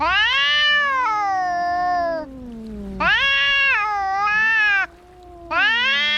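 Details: Cats fighting: long, loud, strained yowls lasting about two seconds each, wavering and bending in pitch, with a lower drawn-out growling moan running beneath and brief pauses between bouts.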